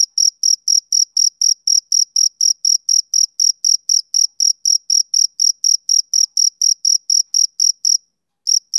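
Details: Male cricket chirping on a summer evening: high, shrill pulses repeated steadily about four times a second, each a short trill, with a brief gap near the end before chirping resumes; no other sounds.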